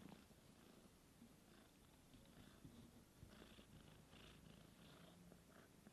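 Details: Indoors, kitten Sunshine tries to nurse from her aunt Divine while her mother Dreamcatcher is away and sucks dry; a continuous low purr dominates, with soft scattered smacking sounds and a few faint rustles.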